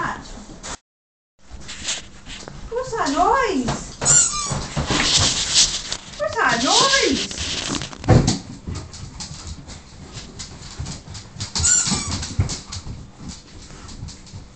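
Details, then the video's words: Siberian huskies worked up by a squeaky toy, whimpering in wavering, bending whines that rise and fall, mixed with bursts of squeaking from the toy and a person talking over them. "Siberian huskies driven mad by squeaky toy"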